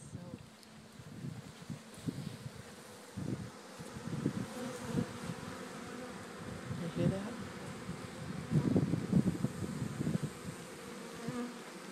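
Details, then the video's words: Honey bee swarm from one of the hives at Friendly Haven Rise Farm, gently moved on a fine day: a dense, low droning hum that swells into louder buzzing surges, with faint human voices underneath. "Moving Bee Swarm at Friendly Haven Rise Farm"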